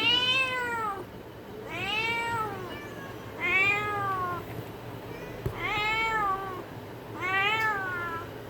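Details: Cat from a village calling in a series of five clear meows, each arching up then down, roughly every one and a half seconds, with a faint hum underneath.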